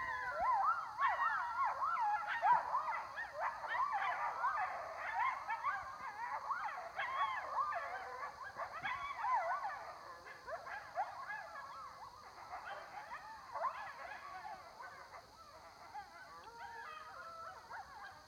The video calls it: coyotes howling